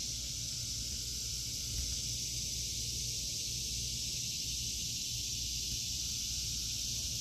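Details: Cicadas in an August 2023 vegetable garden: a steady, unbroken high-pitched buzzing drone that fills the upper range without pause, over a low background rumble.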